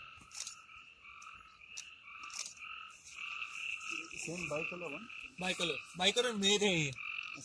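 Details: Frogs in the forest of the Amboli hills, Sindhudurg, with no added music: a steady two-toned ringing chorus runs throughout, then from the fourth second bursts of low, harmonic, wavering croaks repeat in quick pulses, growing louder near the end.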